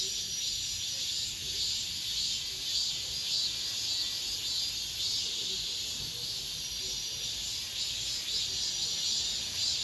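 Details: The summer's final cicada chorus inside an apartment complex, a shrill unbroken droning buzz carried high, throbbing in soft regular surges near twice per second, over a faint low background rumble.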